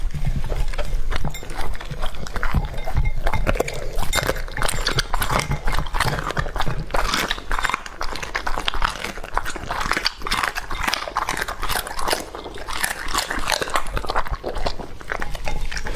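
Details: Lucky the English-type Labrador, a male aged two and a half, works through a raw meal. Dense, rapid crunching and snapping runs almost nonstop, with heavy low thumps underneath.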